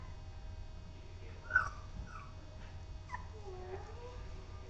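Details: Four-week-old puppies playing, giving soft high whines and short yips, one sharper squeal near the start and a wavering whimper toward the end, over a steady low hum.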